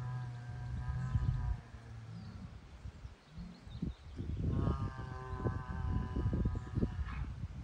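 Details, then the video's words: Angry Angus bull on a farm giving two deep drawn-out bellows, one at the start and a louder one after a pause, with wind and rustling in between. "Big Angry ANGUS BULL Letting Everyone Know He is the DADDY! He is The BOSS"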